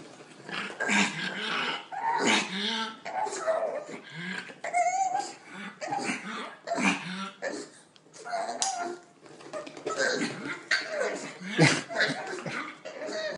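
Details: Tot, a female pug in Cape Town, excited as her owner gets ready to take her for a walk: repeated high, wavering whines and squeaky yelps in bursts throughout, with a person talking over them indoors.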